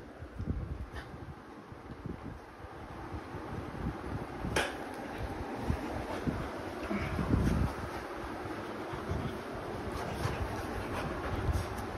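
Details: Steady broadband rumble of wind or a fan fills the whole stretch, with scattered knocks and clatter and no clear animal voice.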